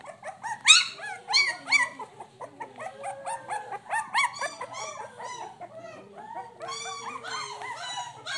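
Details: Three-week-old pit bull puppies exploring their surroundings; a stream of high, squeaky whines and yelps from several pups, overlapping arched chirps with some longer drawn-out whimpers.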